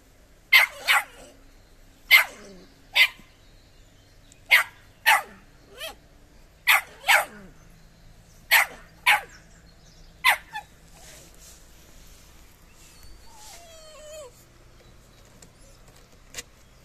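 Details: A nearly four-month-old Irish Soft Coated Wheaten Terrier puppy, meeting a cat for the first time, lets out a quick series of about a dozen sharp, high barks, often in pairs. Soft whines and quiet follow.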